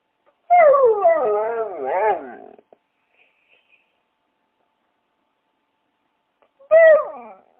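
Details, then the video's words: Dog giving a long wavering, whining cry that rises and falls for about two seconds, then a shorter similar whine after a silent pause. "Sounds of Dogs|কুকুরের ডাক|Dogs sounds"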